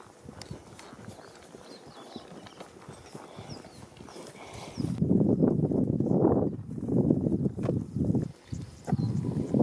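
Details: At Ol Pejeta near Mt. Kenya, faint outdoor ambience with a few thin bird chirps gives way to a lion's deep, rough, breathy grunts, each under a second, in uneven bursts about once a second that swell and fade.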